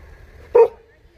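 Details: A Jindo dog, described as a cousin of the dog Song Baek-gu, gives one short, sharp bark with a mid-pitched, harmonic tone against a quiet background with a low hum.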